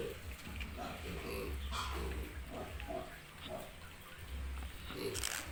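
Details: Piglets on a pig farm in Italy, low soft grunts repeated every half second or so, with a low steady hum and scattered clatter in the pen.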